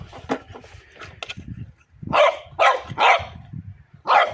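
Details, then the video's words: French Bulldog at play, barking at a pipe: a few soft sounds and a voice at first, then four loud, sharp, harsh barks in quick succession in the second half. "Buldog francuski Bodzio zabawy szczekanie do rury"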